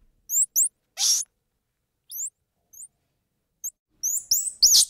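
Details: Squirrel monkey making thin, high peeps that rise and fall, one harsh broadband burst, then a quick cluster of shrill, overlapping chirps at the end, against a quiet background.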